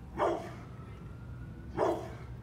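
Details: Brindle pit bull male full of energy, playing without toys; two short, punchy barks about one and a half seconds apart over a low steady hum, with a faint thin tone drifting in the background.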